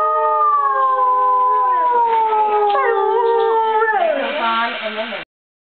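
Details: A single long dog howl that falls slowly in pitch for about four seconds, then turns rougher and wobbling before stopping abruptly.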